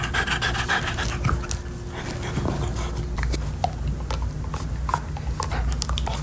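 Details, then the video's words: Max, a French Bulldog, pants steadily while gnawing a beef-flavored Nylabone toy. Quick soft breaths form a continuous rasping texture, with scattered crisp chewing clicks and a constant low background hum. "French Bulldog ASMR: Chewing Nylabone Beef Flavored Chew Toy"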